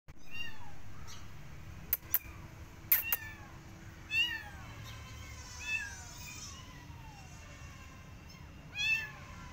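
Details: Persian cat with her adopted kittens walking in a garden and watching rabbits; high, thin arching meows come at irregular intervals, with a few sharp clicks and a faint low hum behind.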